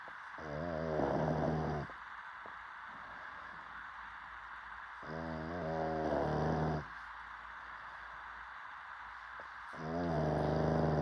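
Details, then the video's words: Dog asleep and snoring in three long, rattling breaths, one roughly every four to five seconds, each a low buzzing drone lasting about two seconds. "DOG Snoring 😴"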